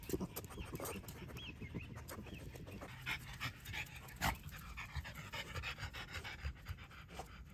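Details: French Bulldogs, a mother and her offspring, on a walk at Miharu Dam in Japan, panting in quick, rough, breathy bursts, fairly steady throughout, with outdoor background noise.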